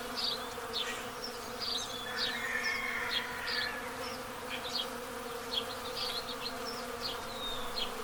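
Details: Hive entrance of honey bees in the path of totality in Pennsylvania, April 8, 2024 solar eclipse; continuous humming buzz underneath frequent bright house sparrow chirps.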